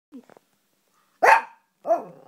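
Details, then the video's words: Pet Morkie dog vocalising to its owner, a sound described as saying "mama": a few faint soft ticks, then a loud harsh burst and a drawn-out moaning tone that bends down in pitch. "the talking Morkie"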